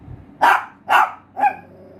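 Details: Pinscher dog barking three times in quick succession, sharp and mid-pitched, the last bark shorter and more tonal.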